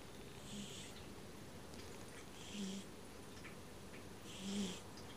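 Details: Sleeping domestic cat snores in short airy puffs, three breaths in about five seconds, each a faint hiss rising and fading against a constant low background hum.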